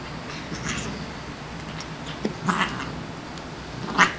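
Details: Playing female Siamese named Shiloh, once a stray kitten from a grocery store loading dock; soft rustling gives way to two brief breathy hisses near the middle and a sharper hiss at the end, indoors.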